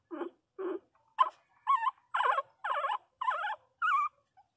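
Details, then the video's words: Pinscher puppy crying loudly: eight wavering, high whines, the first two low and short, the later ones rising and warbling, spaced about half a second apart, with a quiet background. "Cachorrinho pinscher chorando alto"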